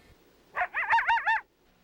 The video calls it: Let's listen to a coyote making a fluctuating howl.